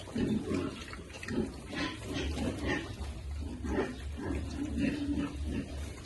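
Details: Lovely piglets at feeding time, giving repeated short tonal squeals and grunts roughly every second, several animals overlapping, over a constant low hum and splashing or feeding noises.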